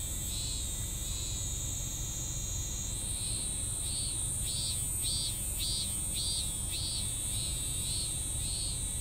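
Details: A cicada in a half-finished song: repeated arched buzzy pulses, about two per second, growing stronger through the middle, over a continuous shrill insect hum that shifts higher partway and low background rumble.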